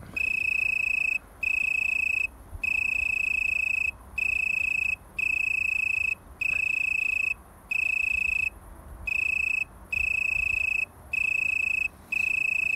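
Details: An Italian tree cricket (Oecanthus pellucens) sings in a garden in Haan, North Rhine-Westphalia, Germany: a soft, pure, high trill in bursts of about a second with brief pauses.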